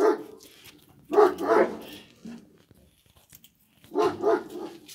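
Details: Kangal puppy barks, lower and rougher, arriving as paired bursts about a third of a second apart, with one pair early and another near the end, over a faint indoor background.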